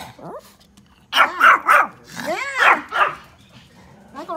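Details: A Pomeranian outdoors gives quick, high-pitched yappy barks in two short bursts, apparently at deer. Pomeranian.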